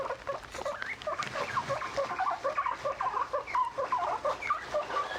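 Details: Domestic guinea pigs giving short tonal squeaks and chirps, some rising and some bending down, scattered irregularly about once a second over a low rustling background.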